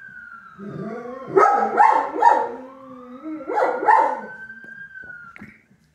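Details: Pet dog howling along with a passing ambulance siren: wavering, yodelling howls with short barky breaks, rising and falling beneath the long steady siren tone that slides in pitch.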